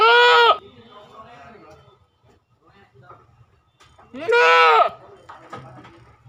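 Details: Two loud, nasal goat bleats about four seconds apart, each roughly half a second long and slightly quavering, with a quiet stretch of low room noise and faint shuffling between them.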